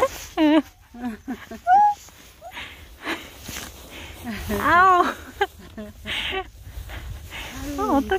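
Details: Mixed-breed countryside puppies, recorded 6 February 2022, produce overlapping squeaky whimpers and wavering cries, sometimes rapid and trilled. Louder bursts alternate with softer breathy noises throughout.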